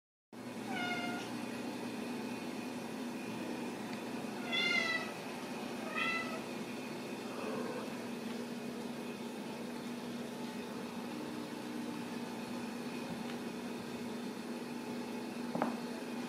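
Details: Ragdoll kittens raised in a home cattery in central Kansas, kept without cages; several short, high, thin meows sound in the first seconds, a couple more follow around the middle, then a steady low indoor hum fills the rest.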